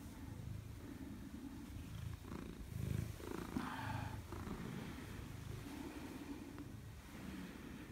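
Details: Maine Coon cat indoors greeting its owner on return home, 4 December 2019; a low, steady rumbling purr runs throughout, with a few brief, soft, mid-pitched bursts near the middle and faint room noise.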